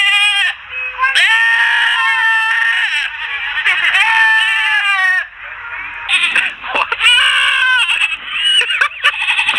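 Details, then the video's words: Goats calling out while begging for popcorn: loud, nasal, wavering bleats overlapping almost continuously, some rising and falling in pitch, with a couple of short breaks. "Cute goats making noise for popcorn"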